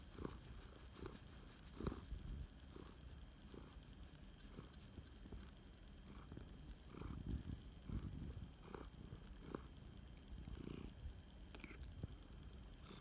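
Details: Male flame point Siamese cat, a rescue, purring while snuggling indoors: a soft, low, continuous rumble pulsing in steady breaths, with faint rustling and small bumps.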